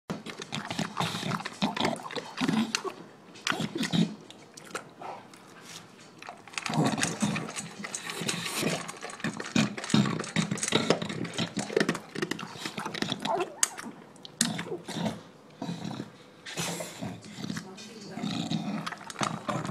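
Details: A male English Bulldog wolfs down his dinner, eating noisily with wet crunching, gulping and heavy snorting breaths.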